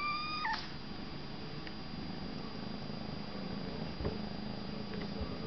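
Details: Young male kitten playing, jumping in and out of a box indoors: a steady low purring rumble throughout, an electronic descending tone at the start and a few soft thumps.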